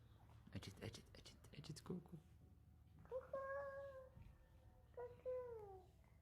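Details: Young female kitten rescued from the street, found sleeping alone without her mother, now indoors in her new home: after some rustling handling noise, two clear, drawn-out meows that slide downward at the end.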